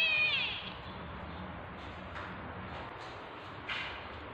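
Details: A single sharp, high mew opens the recording, made while a tabby cat is in labour with kittens, followed by faint rustling and soft clicks against a constant background hiss.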